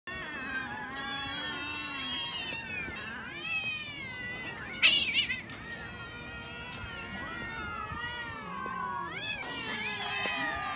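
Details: Several cats being fed raw fish, meowing over and over with long, wavering, overlapping harmonic meows, some rising and falling, a brief clatter near the middle.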